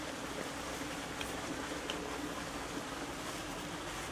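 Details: Steady broadband rushing noise like water or traffic fills the whole recording, with no animal voice standing out.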